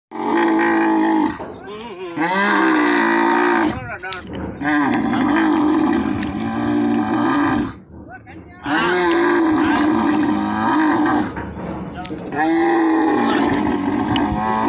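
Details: Camels being loaded into a truck at the Islamkot camel market (mandi) in Tharparkar: loud, gurgling, drawn-out groans in three long bouts of about three seconds each, separated by brief pauses, with low rumbling harmonics throughout.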